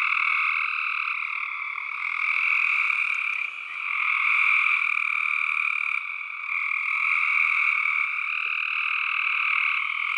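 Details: Continuous massed calling of tree frogs, many overlapping voices merging into a constant high, buzzy drone that swells and sags slightly in loudness; nothing else audible.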